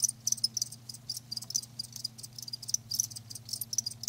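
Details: Short bright chirps from live crickets, separate high pulses arriving several per second in uneven clusters, with a low steady hum behind them.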